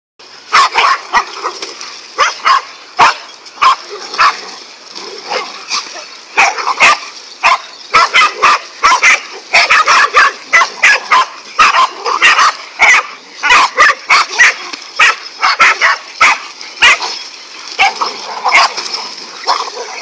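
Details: Five angry dogs bark at a king cobra they are attacking: a dense, rapid volley of sharp, harsh barks from several dogs overlapping almost without pause, some higher yips mixed in, for the whole stretch.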